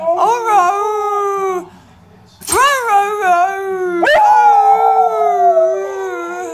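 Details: A Siberian Husky named Thunder howls along with a person singing, in long, sliding, tuneful phrases rising and falling in pitch.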